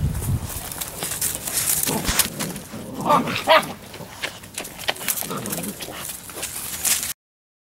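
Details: Labrador Retriever puppies at seven weeks let out brief high yips and whimpers. A cluster of sharp yelps lands mid-clip amid clattering, scuffling noise.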